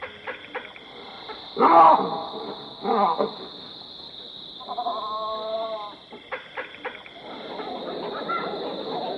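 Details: Baboons in African bushveld: scattered clicks and soft calls, then one loud harsh bark, a second shorter bark, and a drawn-out tonal call, all under a constant high-pitched insect buzz.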